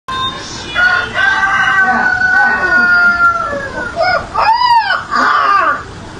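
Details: A Siberian Husky pup howls like a rooster: a long, high, wavering howl sliding gently downward, then a short arched yelp-like howl, over faint background noise.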